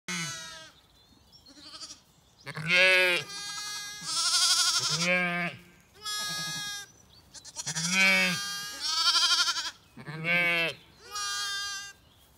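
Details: Zwartbles lambs on a regenerative farm in County Kilkenny, Ireland, calling desperately and confused while their mothers leave them to eat breakfast; loud, wavering, harmonic-rich bleats come in about six bursts, some overlapping, with short pauses between.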